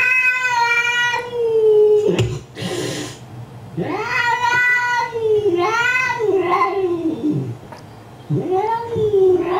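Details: Indoor cat angered while watching a cat on a computer gives sustained, wailing yowls that bend up and down, four drawn-out cries separated by a short breathy hiss and quiet gaps.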